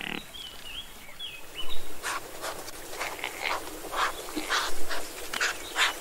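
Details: Chamois buck bleating during the rut on 18 November 2022: a run of short, harsh, stuttering pulses repeated irregularly over several seconds, after a few clear whistled bird notes at the start.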